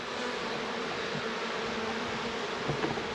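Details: Western honey bees (Apis mellifera) crowd the entrance of an opened hive during a New Zealand summer hive check, humming in a steady, dense, low buzz, described as calling stray bees back to the correct hive.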